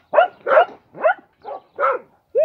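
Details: A dog barks in short, clipped bursts, six of them about every 0.4 seconds, each harsh and mid-pitched with a slight upward inflection; no other sounds intrude.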